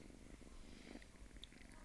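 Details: Small pet cat purring softly, a low, even, fluttering rumble lasting the whole stretch, with a faint high tick partway through.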